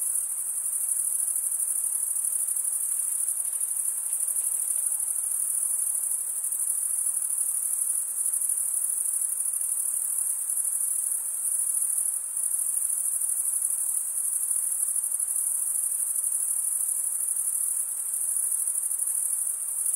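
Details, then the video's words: A steady wall of cricket stridulation, shrill and constant for the full length, with only slight momentary flickers in loudness and no other sounds present. "Most relaxing cricket sound for 8 hours"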